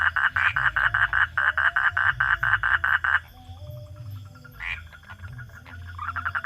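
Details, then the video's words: Night-time frog call: about three seconds of loud pulsed croaks in quick succession, then the calling drops away to quiet background with scattered faint notes before a few pulses return at the end. "hunting for frog sounds at night"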